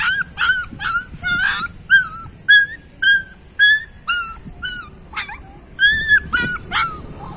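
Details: High, ringing yelps and whines from street puppies come in a steady stream, roughly two each second, some cries bending down at the end, with faint rustling underneath.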